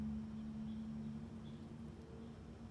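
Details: Honey worker bee at work on white Rose of Sharon flowers, backing out of a blossom: a steady low hum holds strongly for about a second, then continues fainter, over soft rumbling background noise and faint distant chirps.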